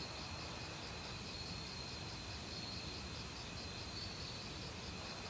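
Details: Chorus of autumn crickets and assorted insects in woodland, persistent high trills and a repeating pulsing buzz, mixed with steady flowing valley stream sound.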